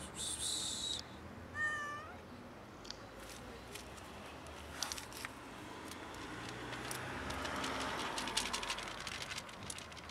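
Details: Black domestic cat meowing for food: a short run of rising, harmonic meows near the start, then quieter background noise with scattered clicks and rustles.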